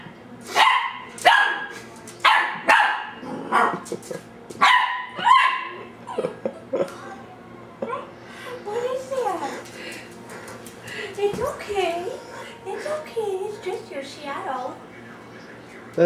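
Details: Ellie, a 10-week-old female dachsador puppy (half Labrador, half dachshund), barks at her reflection in glass indoors, December 2008; sharp high yips in quick bursts over the first six seconds, then a woman talking and soft whines.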